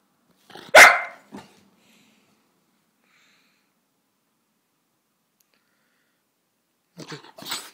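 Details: A Cocker Spaniel puppy gives a sharp single bark and a softer follow-up, asking its owner for something, usually to go outside or for dinner.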